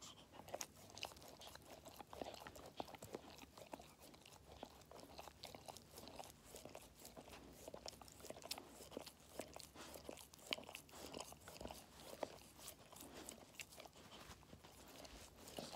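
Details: Treat-eating Labrador puppy aged five months, heard indoors as dense, steady crunching that keeps going, with rapid clicking bites and brief scraping between them.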